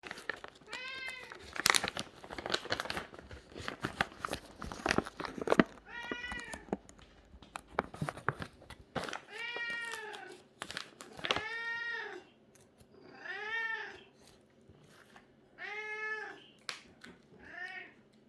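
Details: ['Cat meowing loudly and repeatedly. After early crinkling and rustling, a run of long, wavering, drawn-out meows comes every one to two seconds.']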